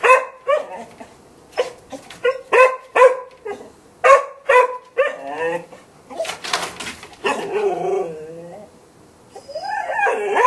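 A Golden Retriever gives sharp, spaced barks, then breaks into drawn-out, wavering whines.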